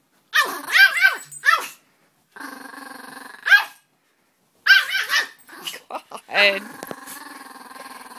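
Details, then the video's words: Peka-Pom dogs, annoyed by another dog, mixing bursts of shrill yapping barks with steady buzzing growls, while a person talks. "Peka-Poms growling"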